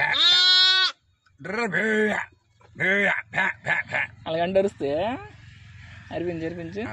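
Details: One-day-old lambs bleating in a village: a long steady bleat, then a run of shorter wavering, quavering bleats of varying pitch, with a low background hum throughout.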